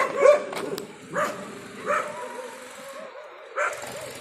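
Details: Leash walking training in Bangalore with Lyca, a Labrador Retriever: four short, separate barks spaced about a second apart, quiet background between them, a faint human voice.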